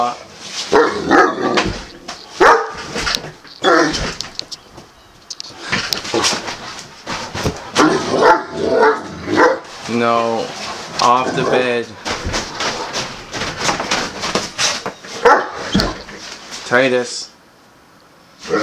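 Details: Titus, a male Great Dane refusing to leave the bed indoors, lets out moaning, whiny howls that fall in pitch, plus short yips between them. Around these, a person repeatedly calls his name and tells him to get off the bed.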